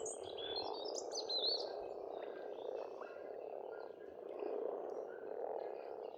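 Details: Springtime frog chorus from an Estonian pond, a continuous low croaking hum with gentle swells, and a few quick high bird whistles and chirps mostly in the first two seconds.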